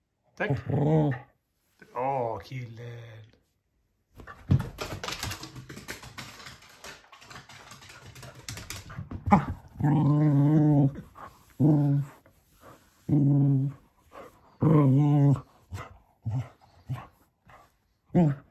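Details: A male Cocker Spaniel, full of energy before bedtime, makes low, drawn-out grumbling whines in bursts of about a second while playing with his toy donkey. Cocker Spaniel.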